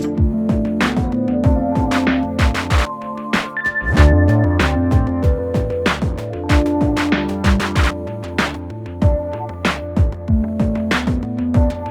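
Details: Gentle electronic piano music with soft chords and sliding bass notes runs throughout, with no animal sound.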